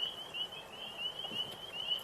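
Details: Frogs chorusing on 4 April 2026 in spring, near tall grass: many high, chirping voices overlap into a near-continuous, pulsing ring, with no other clear sounds.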